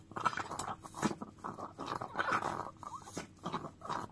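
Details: Small chihuahua lapping at a frying pan, quick repeated wet licks and smacks about every half second, some faint metallic taps, quiet indoor setting.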